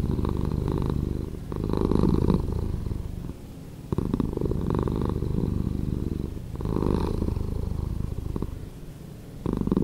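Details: Purring house cat, slowed: low, fast-fluttering rumble carried on alternating louder and softer phases, about four breath cycles, no other sounds.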